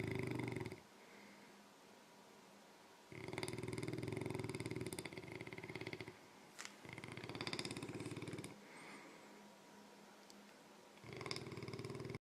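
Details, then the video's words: English Mastiff and French Bulldog in a back-and-forth snoring contest; long rumbling snores lasting two to three seconds, alternating with softer breathing and short pauses. "English Mastiff and French Bulldog having a snore off"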